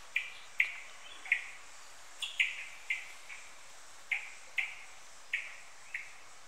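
A red squirrel utters bright, abrupt chirps, each dropping slightly in pitch. They come in uneven bursts over a quiet background hiss.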